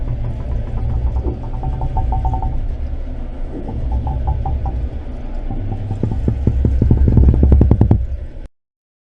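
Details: A chorus of red drum off the Texas coast, in shallow barrier-island passes, especially near spawning, makes low, throbbing knocks that speed into rapid pulsed bursts, produced with the swim bladder.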